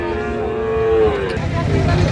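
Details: Sahiwal breed bull calves for farm rearing at Ambari Hat, Dinajpur, Bangladesh, on 26 June 2026; a level moo lasting about a second, followed by a low, rumbling background of market noise and voices.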